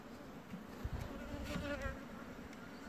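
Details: Bombus vosnesenskii queen chewing on wood: a low steady hum with faint crackling and scraping bursts, loudest around the middle, under a soft constant background hiss.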